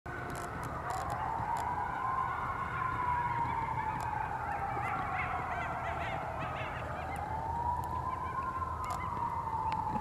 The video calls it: Eastern Coyote howling with Sirens going by in Virginia Beach